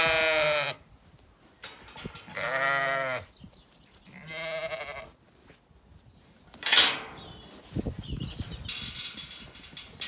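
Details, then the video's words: Zwartbles ewes on a farm in County Kilkenny, Ireland, calling at feeding time in a sunny orchard before a gate opens: loud harmonic bleats in three long bursts, then a sharp clatter and rustling movement. "Dinner bell rings, ewes call"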